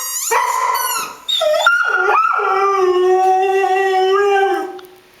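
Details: Dog howling: long sustained tones with rich harmonics, opening with a few higher sliding notes, then a steady drawn-out howl for about three seconds before fading out.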